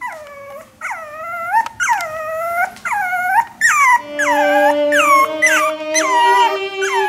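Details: Maltese puppy fussing and demanding to be let out, giving drawn-out whiny howls that rise then fall, about one per second, with a steady tonal hum in the background during the second half.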